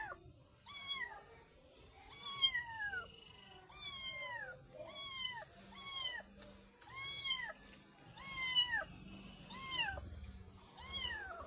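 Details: Black baby kitten meowing: about nine short, high, arched meows, each rising then dropping, repeated roughly every second over a faint low hum.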